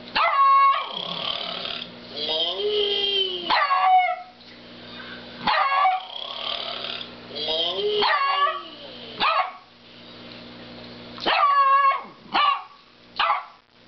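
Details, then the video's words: Kodak, a pet dog, barking at a snoring cow: repeated sharp, loud barks in bursts, some drawn out into whiny, falling yelps, with pauses between outbursts across the recording. "Kodak Berthiaume Barking at Snoring Cow"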